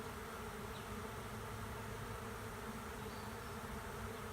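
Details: A swarm of honey bees settles into an empty hive standing at the end of a driveway, producing a loud, continuous buzzing drone with steady low tones and a bright hiss above, unbroken for the whole stretch.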